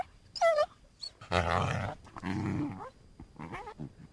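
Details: North American coyote giving a brief high, clear whine that dips and levels, followed by rough, low growling and snarling bursts with short gaps between them.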